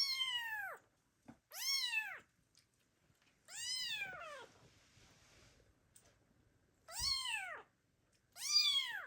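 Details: Abandoned kittens meowing loudly, calling for their mother cat, recorded in 2022. Five high, arched meows with strong harmonics, each about a second long and spaced roughly two seconds apart, in a quiet room.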